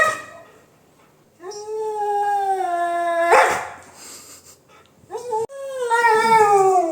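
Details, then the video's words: Siberian Husky indoors howling in protest at a newly installed pet gate that keeps it from the bedroom: long sustained howls with a steady tone and rich harmonics, rising then falling at the end, with short breaks between. "husky dog doesn't want pet fence/gate"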